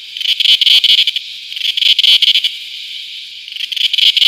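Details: A cicada sings on a tree in loud, shrill, buzzing pulses, rapid rattling bursts rising and falling in waves.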